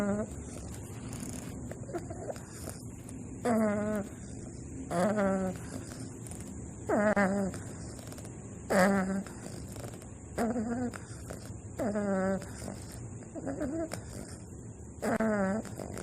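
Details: Sleeping baby bulldog Wakoo snores with clear, tonal, slightly whiny snorts on each breath, about one every two seconds. A constant thin high-pitched hum runs underneath.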